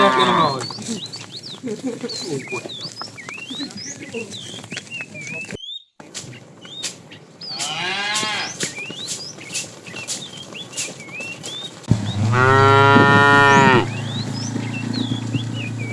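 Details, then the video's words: Herd of tame cows being driven in the afternoon, a fat cow calling the female: busy background of chirping birds and rustling, a brief drop-out, a falling moo near eight seconds and a loud two-second moo near the end. "The funny sound of a fat cow calling the female"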